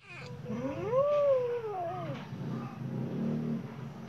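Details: Khao Manee cat with golden eyes, looking outside, gives one long drawn-out meow that rises, peaks and slides down over about two seconds, trailing into a softer bend, then low muffled rumbling fills the remainder.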